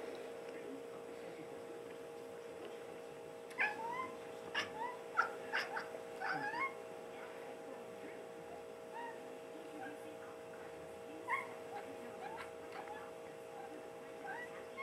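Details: Domestic cat staring out a back door at birds, making a weird meow sound; several short chirping, rising meows between about 3.5 and 7 seconds and again near 11–13 seconds, over a steady electrical hum.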